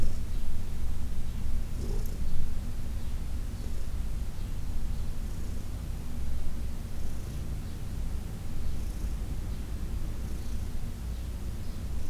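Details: Heidi, an older cat adopted from the Humane Society of New York City, purring softly during a massage session; a continuous deep drone with gentle rises and falls in loudness.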